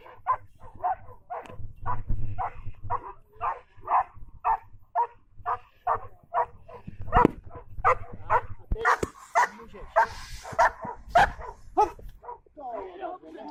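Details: German Shepherd dog Juki Bolský kopec giving a long run of rapid, even barks, roughly two per second, growing louder and rougher toward the end, over a low background rumble.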